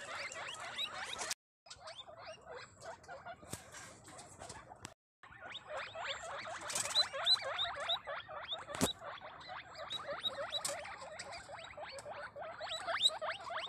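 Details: Guinea pigs of different breeds kept in a caviary in Cabugao, Ilocos Sur, Philippines, give rapid repeated rising squeaks, several at once, with brief gaps and some background clatter.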